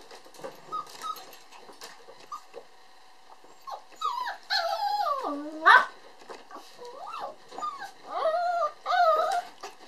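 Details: Male puppy with a red coat, born December 22, whining in long bending tones that swoop down and up, with quieter scattered squeaks and rustling before the louder run of whines near the end.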